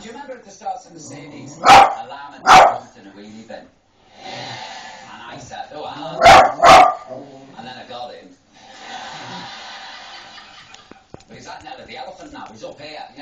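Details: Pet dog barking at Paul O'Grady on the television: two pairs of sharp, loud barks about a second apart, with television speech and voices continuing in between.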